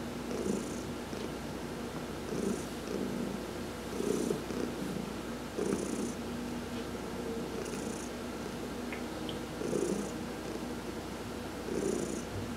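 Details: Heidi the cat enjoying a sun-bath massage, November 19, 2020, purring steadily; the deep rumble rises and falls in regular cycles near two seconds apart, with soft hissing breaths on each rise.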